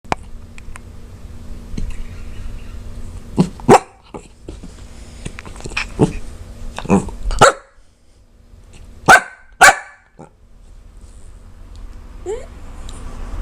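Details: Puppy indoors with hiccups, confused and angry at them, giving short sharp barks and gruff little growls in scattered bursts, separated by quiet gaps with soft hiccup sounds and a rising whine near the end.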